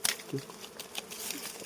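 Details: Wild honey bees hum steadily during a harvest of six wild honey combs; a short close buzz early on, then a continuous drone under scattered crackling and rustling.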